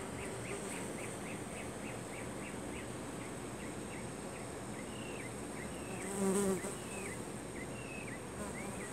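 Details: A flying beetle in a blackberry bush gives a low, steady droning buzz, with a bee buzzing nearby and birds chirping faintly.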